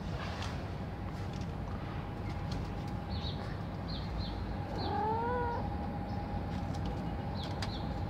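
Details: Street kitten meowing once, a short bent wavering cry with clear harmonics, over a steady hum and low rumble of outdoor urban noise, with faint chirping in the background.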